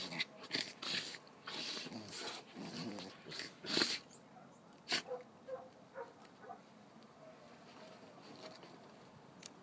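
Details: Dogs play-fighting indoors, snorting and huffing in rough bursts of breathy, broadband noise, with a few short growly tones between scuffles and quieter gaps toward the end.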